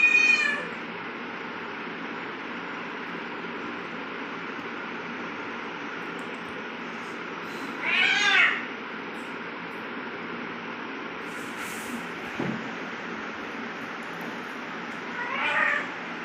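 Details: Domestic cat making aggressive sounds while fighting with another cat; short harmonic yowling calls at start, around eight seconds and near the end, separated by steady background hiss.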